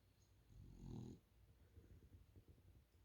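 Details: French Bulldog asleep on a couch, giving one soft, low rumbling snore lasting about half a second, followed by quiet breathing in an indoor room.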